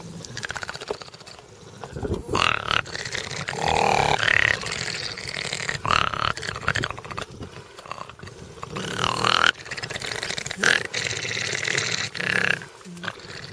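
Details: Seven rescued bat-eared foxes, largely nocturnal and in a 25-acre semi-release rehabilitation camp near Ladismith, South Africa, growl in rough, breathy bursts broken by thin rising whines, confronting a dog at the gate during an April 2020 evening feed.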